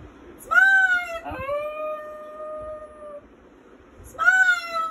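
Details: Brown Lhasa Apso, male, singing with its owner: a rising howl that levels into a long steady tone lasting about two seconds, then a pause and another rising howl starting.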